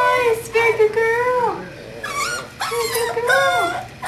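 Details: Kahlua, a five-week-old English Springer Spaniel puppy from Star's fourth litter, born 5 December 2011 and recorded 14 January 2012, gives long, steady, tonal whines, each held about a second before sliding downward, with a brief yelp between them.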